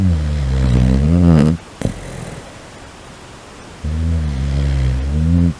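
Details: A sleeping Shiba Inu gives long, low, rumbling snores with a wavering buzz that sounds like farting.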